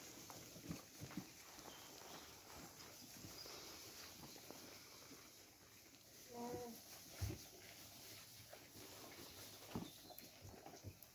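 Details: Female alpacas munching hay from a trough, picking out the tastiest stalks; soft crunchy chewing clicks continue throughout, with a short tonal voice-like sound midway and faint background hiss.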